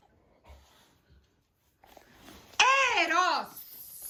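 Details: Eros the dog gives a single drawn-out, wavering vocal whine lasting about a second, arching up and then down in pitch after a few quiet rustles indoors.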